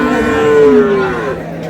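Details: Cow at Ambari cattle market in Dinajpur, among cows with calves, August 7, 2026: a short moo that starts higher and slides downward, fading after about a second against steady market hum.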